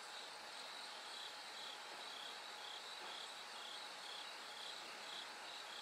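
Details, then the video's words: Bell cricket at night, light gradually rising toward dawn. Shrill pulsed ringing notes repeat in steady beats within a continuous insect chorus, over a faint steady tone. "bell cricket Cry of falling insects"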